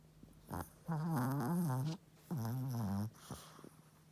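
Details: Sleeping Chihuahua snoring indoors: two long, low, buzzy snores of about a second each, with a rough wavering tone, separated by quiet breathing and soft short breaths before and after.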